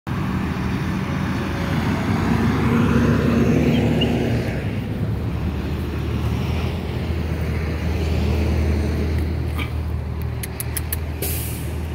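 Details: Steady roar of road traffic outdoors, with passing cars swelling and fading and a few sharp clicks near the end, and no animal sound.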